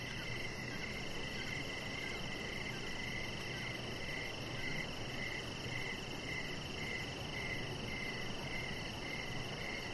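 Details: Crickets chirping in the evening outside a house deck: soft pulsed chirps repeating about twice a second over a steady high ringing trill and a constant hiss, with no other clear sounds.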